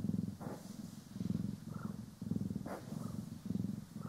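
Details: Purring house cat, Poki or Kiwi, being brushed and groomed, stereo capture; deep rhythmic purr rises and falls about twice per second-and-a-half, with faint brush swishes and small clicks between breaths.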